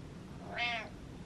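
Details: Pet cat Butters trading meows with its owner: a single loud, clear meow lasting about a third of a second, rising and falling, over faint indoor background hiss.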